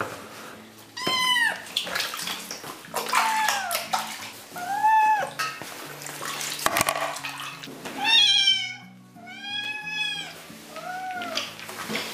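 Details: Young kitten meowing in protest while being bathed, giving loud, rising-then-falling wails in irregular bursts, several in quick pairs, over steady background music.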